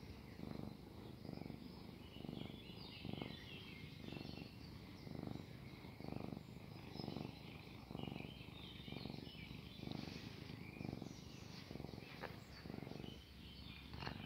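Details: Cat purring while making kneading motions, treating a person like its mother; steady low rumbling purr in even pulses about every 0.8 seconds, with birds chirping outdoors in the background.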